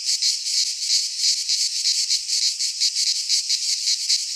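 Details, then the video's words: Cicadas singing in midsummer in a Greek pine forest: a dense, continuous high buzzing chorus pulsing roughly three times per second, with no other sounds. "Cicadas singing in midsummer"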